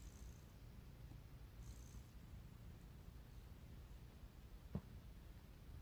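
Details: Cat giving a low, even purr, with two faint high rasps early on and a single sharp click near the end.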